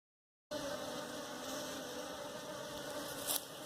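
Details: Bees at a hive being caught for domestication, a steady droning hum with layered low tones held throughout, a brief sharp rustle near the end.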